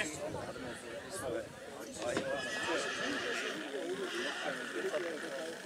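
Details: Three-year-old Black Forest mare Nessaja at the St. Märgen Rossfest horse show, 11 September 2022, in a class of young mares; a rising, quavering neigh swells after two seconds, with voices and crowd noise throughout.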